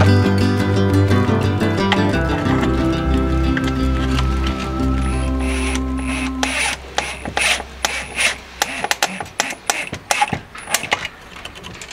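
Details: Instrumental music fades out over the first half, giving way to sharp, irregular mechanical clicks and ratcheting scrapes, with no animal voice present.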